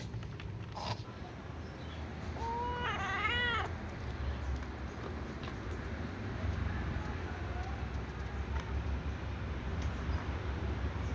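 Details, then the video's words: Little ginger cat meowing while avoiding food near a catnip plant; a quick run of four or five arched, harmonic meows packed into about a second, set against a steady low rumble of background noise. "Little ginger cat meows but avoids food"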